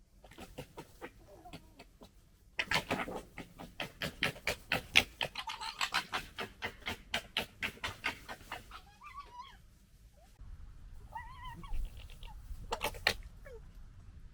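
Foxes break into gekkering, a dense, raspy, machine-gun chatter of clicks that rises and falls for several seconds as littermates squabble. Brief arched whines and yelps follow in the quieter moments afterward.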